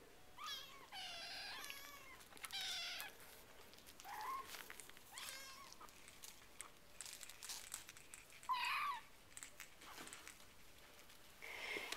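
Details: RagaMuffin kittens at four weeks old, from a winter-themed litter, mewing repeatedly indoors; piping, wavering cries with rich overtones come every second or two, some rising sharply, amid soft rustling and a person talking gently.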